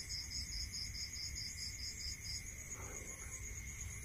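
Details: Night-time crickets in the countryside, one high pulsed chirp repeating quickly for a couple of seconds then stopping, while a constant thin insect trill and faint low rumble carry on throughout.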